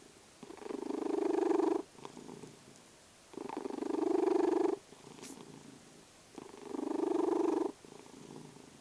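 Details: Dozing cat Vasya snores and purrs, three rasping, buzzing breaths each about one and a half seconds long, building then ending sharply, with quiet pauses and a brief faint tick between.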